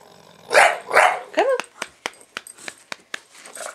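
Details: Pet bulldog named Buster reacting to being filmed: two loud, rough barks, then a short rising whine-like yelp, followed by a series of faint sharp clicks.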